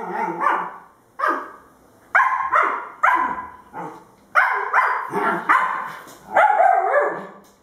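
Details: Playful barking between a two-month-old female Husky puppy and a two-month-old male German Shepherd puppy. High, harmonic yaps come in quick clusters, about a dozen over seven seconds, some with a growly, drawn-out edge.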